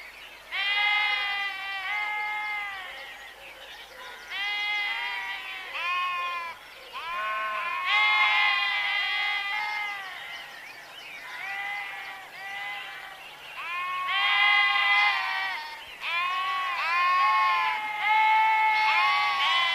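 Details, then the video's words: Several sheep bleat over and over, their nasal, quavering cries overlapping almost without pause, some short and some drawn out, giving the busy sound of a calling flock. "Sheep Sound Effect | Suara Domba"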